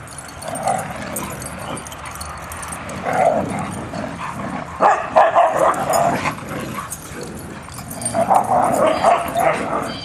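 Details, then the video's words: Huskies, about two dozen, running, playing and wrestling together on 4-23-10; overlapping yips and barks come in clustered bursts, loudest near the middle and end, over steady background rumble. "Husky Play"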